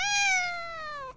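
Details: A little cat gives a single clear meow lasting about a second, tonal and gently falling in pitch from start to finish, with no other sounds around it.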